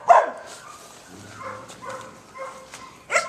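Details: A pet dog gives a sharp, short bark at the start and another at the end, with a person softly speaking greetings to it in between.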